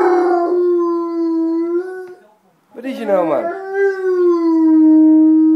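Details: A Dogo Argentino described as in love gives a long, steady, harmonic howl, breaks off, then adds a brief wavering yelp before sliding back into another sustained howl.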